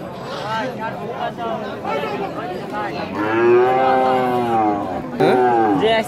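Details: Holstein Friesian cattle at a Rajshahi city market in Bangladesh; a drawn-out wavering moo swells in the middle, followed by a short sharp second low, over chatter of a crowd.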